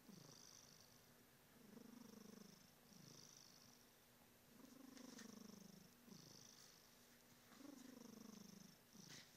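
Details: Smokey the cat snoring and purring: steady rumbling purr rising and falling in long breaths roughly every one and a half seconds, each breath with a low descending snore tone and a soft airy hiss.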